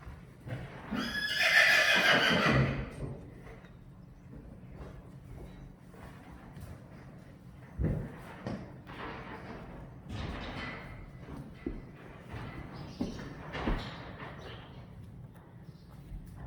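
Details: Friesian horse named Saly, filmed while sticky matter is washed from her mane, gives one loud, rough, harmonic-rich whinny lasting about two seconds. Quieter thumps, shuffling hoof sounds and brief Dutch speech follow.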